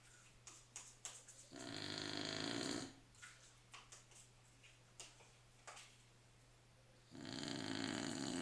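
A Staffordshire Bull Terrier snores with long, rasping breaths separated by quiet pauses.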